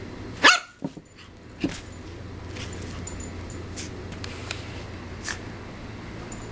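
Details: Shih Tzu puppy Yogi, worked up and springing off the playpen walls, lets out a single loud yip near the start. Soft thumps and knocks from her bouncing follow.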